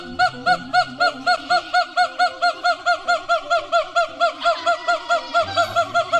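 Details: A siamang (Symphalangus syndactylus) gives a loud series of ringing, arched hoots, about two each second.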